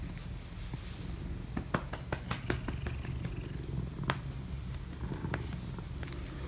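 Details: Domestic cat meeting a person it likes, purring indoors: a steady low rumble runs throughout, broken by scattered soft clicks and rustling handling noises close by.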